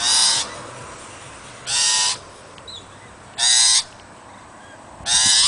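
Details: A female Cavalier King Charles Spaniel on a balcony, excited by birds landing in a nearby tree, gives sharp, high, ringing barks spaced nearly two seconds apart.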